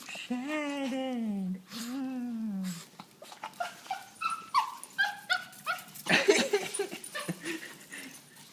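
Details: Joyful female puppy whining on seeing her owner. A pair of long, low, wavering whines opens, followed by a rapid series of short, clipped whimpers and yips, indoors.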